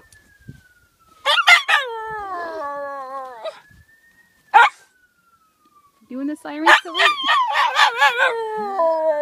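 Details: Miniature Schnauzer howling in imitation of a fire truck siren. A faint siren tone slides downward, then rises. The dog answers with bursts of rich, wavering howls, ending in a longer quavering howl that rises and falls.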